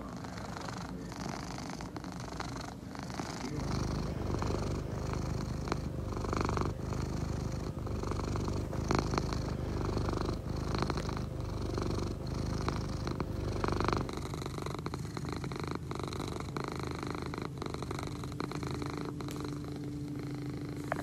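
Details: A sleepy Egyptian Mau purrs steadily, a low rumbling throb pulsing a few times each second and rising and falling with each breath, as a person murmurs gently to the cat near the start.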